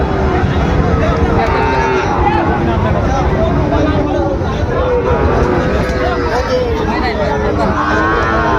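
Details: Sahiwal-breed bull calves traded at Raniganj cattle market in Dinajpur on 22 January: several overlapping moos, some low and wavering, others higher and arched, repeated through the clip beneath steady crowd babble and voices.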